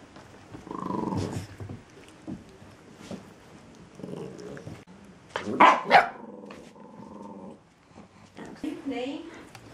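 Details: New puppies playing, giving short tonal growls and whiny yips in bursts, one rougher outburst near the middle, interspersed with human speech and scuffling noises.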